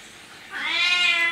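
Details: A domestic cat billed as a talking cat gives one drawn-out meow, about a second long, rich in harmonics, rising in pitch then holding steady before cutting off, against a quiet indoor background.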